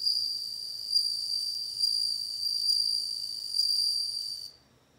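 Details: Bell cricket song: a continuous high, pure ringing tone with a fainter overtone above it, swelling slightly in loudness roughly every second for about four and a half seconds before stopping abruptly. The background is quiet.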